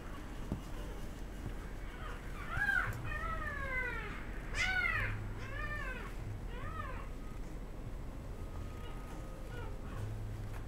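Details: A female Golden Retriever puppy, born 10 December, gives a short run of high, arching whimpers over a low background rumble.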